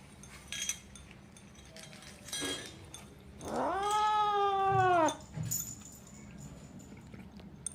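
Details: Kitten eating cat food and protecting it, voicing while it eats: brief rustling clicks, then one drawn-out, harmonic, moaning mew lasting about one and a half seconds, steady then dropping at the end, followed by soft eating sounds.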